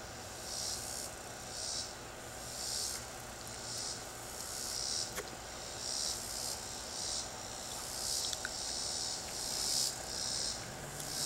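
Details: Singing cicada in a tree: a run of hissing, high-pitched buzz pulses repeated about once a second over constant low background noise, with an occasional click.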